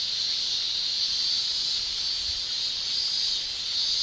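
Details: Summer cicadas shrilling in Japan: a steady, dense high-pitched buzzing drone held without a break, no other sounds standing out.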